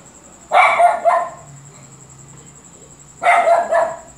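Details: Luphe, a dog, barking a lot: two short bursts of rough, harmonic barks, each a quick double or triple bark, separated by a pause of about three seconds, over a faint steady high whine.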